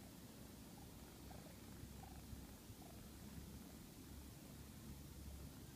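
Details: A male house cat dozes while someone tries hard to wake him, giving a soft, low, steady rumbling purr under constant background hiss, with faint brief higher squeaks.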